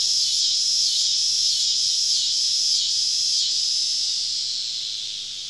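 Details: A summer evening cicada chorus deep in southern woods makes a steady, high, hissing drone that pulses gently about every half second.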